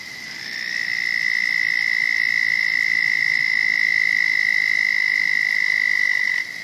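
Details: Frog at a pond home to a turtle: a loud, high, rapidly pulsed buzzing trill that rises in volume, holds steady for about six seconds, then stops abruptly.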